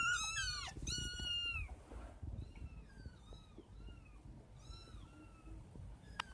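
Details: Kittens heard at night, one of five, with two strong drawn-out falling mews at the start, followed by a string of quieter, thinner descending mews every half second or so against low background noise.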